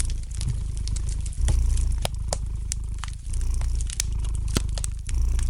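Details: A domestic cat purrs softly, its low rumble rising and dropping in breath cycles roughly every two seconds, while a fire crackles lightly in the fireplace with bright isolated snaps.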